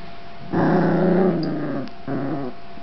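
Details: A pet dog gives a low, rumbling growl, then a second shorter growl after a brief pause, reacting to a virtual small dog in a box barking at her.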